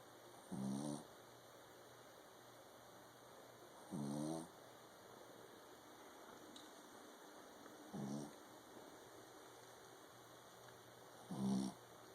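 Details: Sleeping King Charles Spaniel with loud snores: four short, grating breaths with a low buzzy tone, repeating roughly every three and a half to four seconds, quiet hum and room hiss between them.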